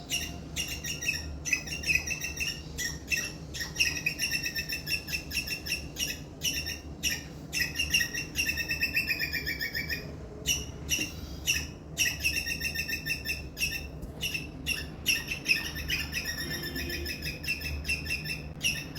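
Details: Indian palm squirrel gives loud, high, sharp chirps in rapid repeated bursts, described as a distress call.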